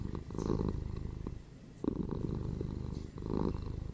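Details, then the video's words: A domestic cat purrs closely, its low vibrating rumble rapidly pulsed, with three stronger swells in four seconds alternating with quieter dips. "PURRING CATS"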